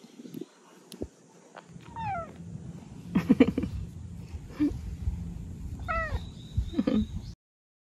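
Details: Pet cat Beotji, which lost its voice and then got it back, gives several falling, harmonic meows: one near two seconds, another near six seconds, with a fainter one at seven, amid scuffling and handling noise in a quiet room.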